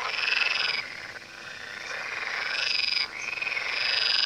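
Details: Many frogs croaking together beside the Tywa river, a thick wall of fast, pulsed rattling calls that briefly thins near the start and again around three seconds before building back up.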